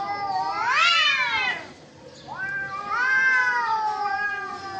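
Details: Fighting cats give two loud yowls: the first climbs steeply to a shrill peak and then slides down, and after a brief pause a second wail rises and holds steady, rich in harmonics.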